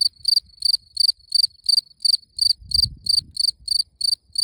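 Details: Cricket chirping steadily: short, bright, high-pitched chirps repeated about three times a second, each a quick pulsed burst, with faint low rustling and a soft thump in the background.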